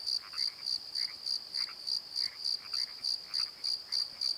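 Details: Nighttime crickets in a valley bottom at the Pozo Night Tree, recorded on a Nikon D7100: sharp, high chirps at a brisk regular pace, about three and a half per second, over scattered lower frog croaks.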